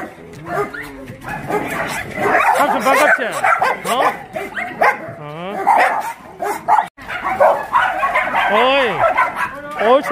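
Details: Chorus of abandoned dogs at a Yangsan, South Korea shelter while someone plays with them: arched whining yips rise and fall, mixed with sharp barks, human chatter running beneath the excited clamor.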